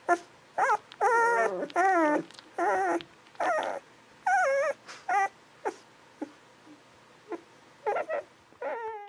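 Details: Newborn Golden Retriever puppies aged 11-13 days squeak and whimper in a busy series of wavering, tonal cries, some long and bending, others short yips, with brief pauses between bursts and quieter cries near the end.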